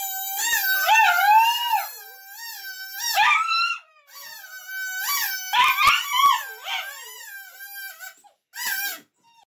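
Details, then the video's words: Dog singing with quick wavering howls and whimpering yips, pitch wobbling up and down in short bursts with gaps between phrases. "कुत्ता गाना गा रहा है! Dog singging a song"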